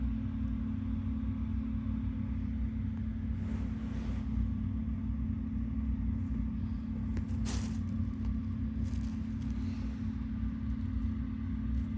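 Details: A continuous low rumble with a few brief rustling bursts is heard, and there are no meows or other animal calls.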